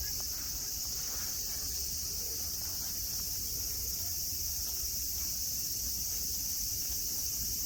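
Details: Cicadas buzzing at Nara Park, Japan, under blue sky among green mountains and grass where friendly deer roam: a steady, high, hissing drone with a thin shrill whine above it, unbroken throughout, and a faint murmur low down.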